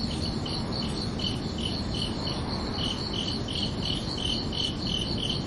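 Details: Chirping crickets on a summer night: repeated high, clipped pulses, slightly uneven in spacing and loudness, as if more than one caller, with a steady low rumble underneath.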